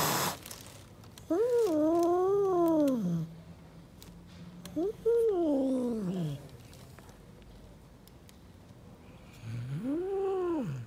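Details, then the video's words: Angry stray mother cat living on the street, protecting her kittens and keeping others away: three drawn-out harmonic wails, each arching up then sliding down, roughly two seconds long, with quiet pauses between them. "Angry Mother cat protects her Kittens and doesn't let anyone approach them"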